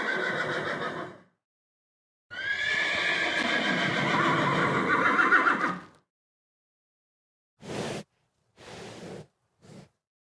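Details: Horse giving a short neigh, then a long, trembling whinny lasting over three seconds that wavers and fades, followed by a few brief snorting bursts.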